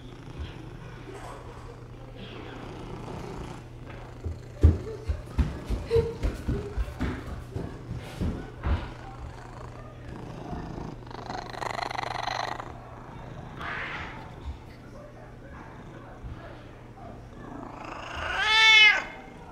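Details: Oscar, a Persian cat, gives a drawn-out, rising-then-falling meow after a run of soft thumps while his owner talks with him.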